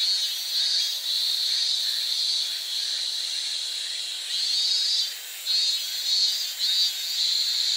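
A cicada gives a continuous high, hissing buzz that swells and fades slightly in loudness.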